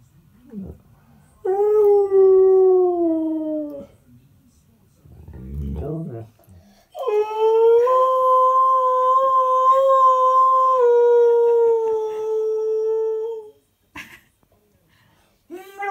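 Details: Male husky-malamute mix, three and a half years old, singing in two long howls, the second held steady for about six seconds and tapering down, with brief rustling and a short whine between them.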